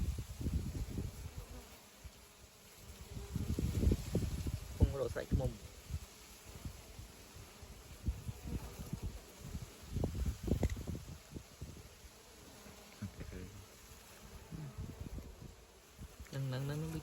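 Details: Wild bees while their comb is being taken; a low droning buzz swells and fades in uneven bursts, mixed with rustling, handling noise and people talking in Khmer.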